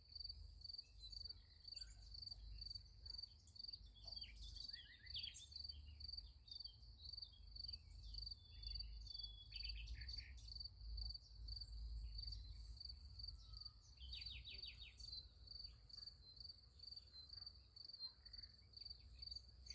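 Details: At night beside a sunflower field, crickets keep up a steady, high, rapidly pulsing chirp, with a few bird twitters and a low rumble.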